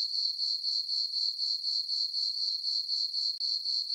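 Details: Crickets on a dark summer night in a farm meadow, full moon overhead, produce a constant high-pitched pulsing chirp at about four pulses a second, with one brief dropout near the end.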